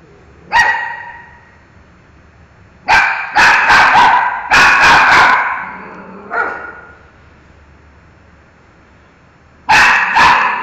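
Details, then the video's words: Dog Miki barks at a mango: a single bark, then a tight cluster of five or six rapid barks and a softer trailing one, silence for three seconds, and a final double bark. "MIki, Barks! Woof!"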